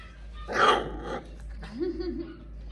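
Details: A dog gives a single sharp, rough bark, then after a short pause a low, wavering whine-like tone; steady low hum underneath.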